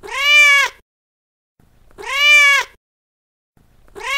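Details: Loud domestic cat meows used to attract cats: two long, strained, harmonic-rich calls about two seconds apart, slightly arching in pitch, a third starting at the end, with faint low rumbling between.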